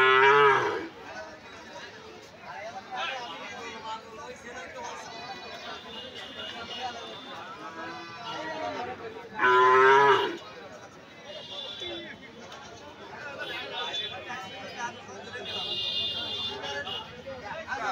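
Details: Cattle at the crowded Sonapur livestock market after Eid, 3 July 2025, where many cows and goats have arrived; two loud drawn-out moos, one at the start and one midway, over steady background music and crowd chatter.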